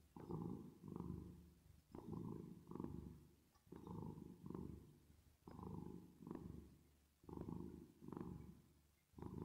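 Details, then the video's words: Resting, sleeping cat purring, with reverb added. Low, throaty rumbles come in rhythmic bursts, each breath in and out making its own swell, roughly one to two seconds apart. The purring is continuous and steady throughout. "10 Minutes Of Cat Purring Sound With Reverb Effect"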